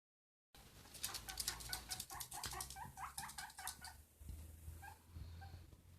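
A guinea pig gives a run of short, bright squeaks in quick, uneven succession.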